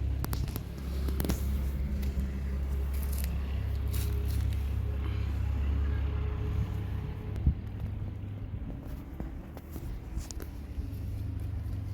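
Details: A steady low rumble like a running vehicle fills the recording. Scattered scrapes and handling clicks come through, but no clear animal calls are heard.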